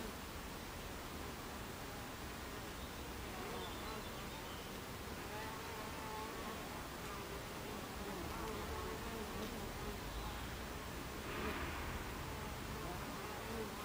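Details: Buckfast bees at a hive entrance, recorded 26 July 2013 at 14:30: a dense, steady buzz of many insects with shifting wingbeat tones sweeping around 300–600 and higher as individual bees pass close.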